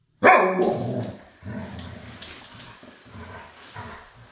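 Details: Siberian huskies Cam and Cub at play: one sharp, loud, strongly harmonic bark opens, followed by a string of low, rumbling growl pulses repeated roughly three times a second until the end.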